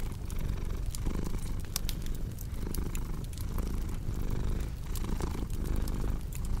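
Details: Domestic cat purring beside a cozy crackling fireplace, mixed for relaxation and sleep: a deep, steady low rumble that swells and dips with each breath, overlaid by sharp, scattered fire pops and crackles.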